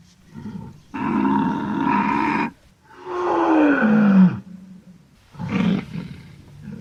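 A wild boar gives harsh, rasping grunts in three bursts, one ending in a falling squeal.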